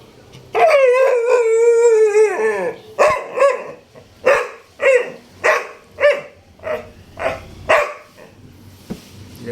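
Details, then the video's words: Labrador Retriever crying on cue: a long drawn-out howling whine sliding downward for two seconds, followed by about nine short rhythmic yelping cries each under a second, a woman speaking softly at the end. "Ganto magpa iyak ng aso"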